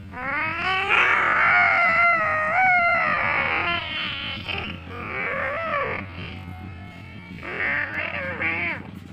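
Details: Angry cats in a deadly fight, long drawn-out wavering yowls that rise and fall in pitch for several seconds, with a steady low hum and possible faint music underneath.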